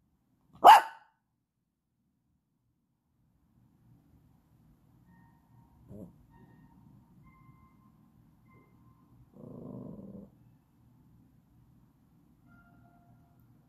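A Yorkshire Terrier puppy gives one sharp, high yap, asking to play.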